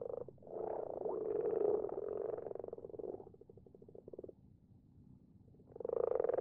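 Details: Night chorus of common frogs in a garden pond: soft, rapidly pulsed purring croaks, several bursts separated by a quieter stretch of a second or so, then a renewed loud croak at the end.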